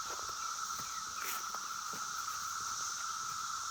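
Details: Brood X 17-year periodical cicadas at Oregon Ridge Park, Maryland, 26 May 2021: a steady mid-pitched droning whine over a higher buzz from other cicadas, with red-winged blackbirds and catbirds faintly beneath.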